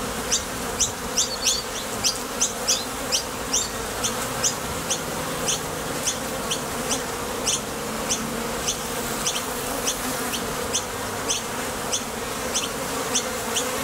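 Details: Honey bees flying in and out of a Top Bar Hive entrance to gather nectar produce a steady vibrating drone. Crisp high chirps punctuate it at a quick, fairly even pace.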